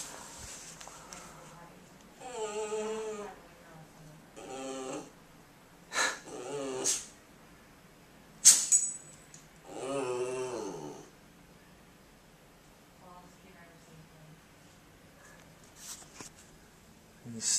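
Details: Female Boston Terrier, a pet dog that does not bark, making odd attention-seeking noises indoors: wavering, harmonic whining groans in bursts of about a second, four main bursts spaced a few seconds apart, with sharp clicks and soft background voices.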